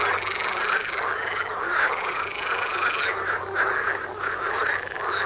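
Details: Many frogs croaking together outdoors near a front door, a thick unbroken wall of rapid rattling calls with slight swells in loudness, low hum in the background.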